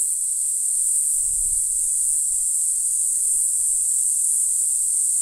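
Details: Mogannia formosana, the Green Island form, singing in April on Green Island, Taiwan: a steady unbroken high-pitched buzzing drone held throughout, with faint low rustling beneath.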